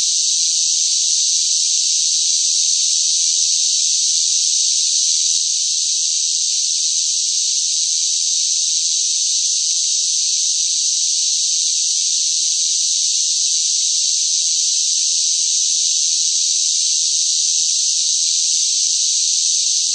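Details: Cicadas droning in hot summer weather: one constant high buzzing wall of sound that dips very slightly in loudness partway through, with no other animals, voices or background noise.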